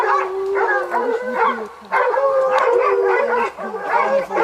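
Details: Hounds hunting leopards in Zimbabwe bay in a loud massed chorus, overlapping howls and yelping barks rising and falling in bursts with two short lulls.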